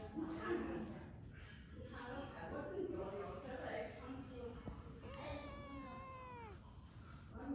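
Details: A lively, cute kitten lets out a single long meow that slides steadily downward in pitch and lasts over a second. It follows several seconds of people talking, and voices continue around it.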